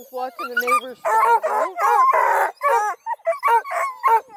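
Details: Coonhound pups, including Bluetick, Redbone and Black and tan, at a hound breeder near Kingston, Ontario, Canada, rowdily calling together: overlapping pitched yelps and short howls with wavering harmonics, one longer rough bawl near the middle.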